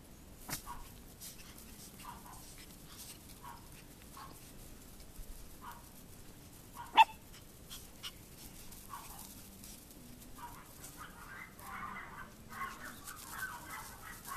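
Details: Chihuahua puppies romping outdoors on a warm February day produce a long run of short squeaky yips roughly every second, a single sharp click, then a busier cluster of overlapping whines near the end.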